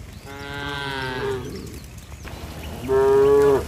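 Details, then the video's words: Tame cattle hurrying toward the barn as rain falls on a bright day; two separate moos, a longer one first, then after a two-second pause a shorter, louder, steady call. "Suara sapi Moo"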